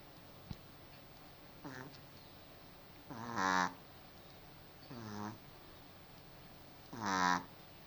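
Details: Sleeping dog named Cookie, snoring indoors: four harsh, rattling snores with stacked nasal overtones, alternating softer and stronger, the loudest near the middle and end, separated by quiet pauses of one to two seconds.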